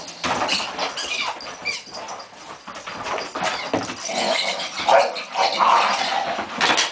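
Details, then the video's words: Tommy, a Springer Spaniel, defends his balls against the other family dog Jayde in a mock standoff, giving continuous rough growling mixed with whimpers and short yips, rising and falling in loudness. "my springer spaniel does not like people touching his things"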